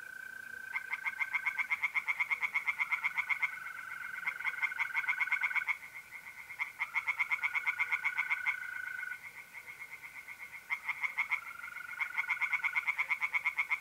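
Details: Pond tree frogs calling by night in mid-April, North-East Italy: bursts of quick, rasping pulses lasting a few seconds, separated by brief lulls, while trilling mole crickets keep a steady whistle-like drone.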